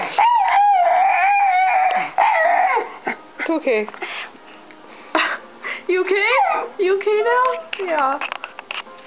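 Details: Dog watching TV and computer lets out a long quavering scream for about three seconds, then breaks into shorter rising and falling yelps and whines mixed with a human voice speaking indoors.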